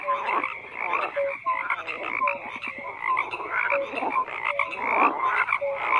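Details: Frogs croaking together in a dense, overlapping chorus, with rough pulsed croaks and short tonal notes repeating about once a second, and steady layered calling without pause.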